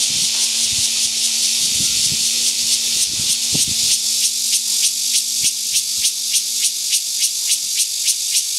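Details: Cicadas calling: a loud hissing buzz that breaks into sharp rhythmic pulses, roughly three or four per second, over a faint steady low hum and a few scattered knocks.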